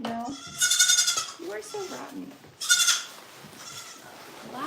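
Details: Goat bleating at The Willful Goat Farm & Home, two sharp, shrill, quavering bleats about two seconds apart, with quiet human speech at the start and low room noise between calls.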